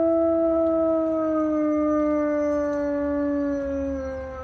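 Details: Pet dog howling in response to sirens and fire trucks: one long, steady, tonal howl with rich harmonics, pitch sliding slowly downward over about four seconds and fading slightly at the end.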